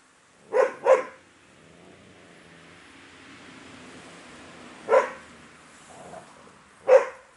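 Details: Airedale Terrier puppies in a litter on day 47: four short, sharp yappy barks, a quick pair near the start, then single barks about two seconds apart, over a quiet room hush.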